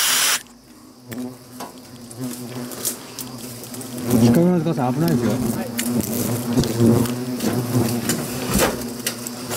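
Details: European hornets flying in and out of a gap where wall meets beam in a warehouse due for demolition, Iitate village, Fukushima, on September 2 during nest removal; steady low droning hum throughout, with clattering knocks and intermittent human voices.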